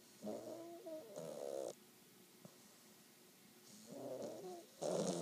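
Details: Kaiser, a 12-week-old English Bulldog puppy, snores loudly; each inhaled breath is a raspy, fluttering rattle lasting about a second, with quieter gaps giving a slow, regular rhythm.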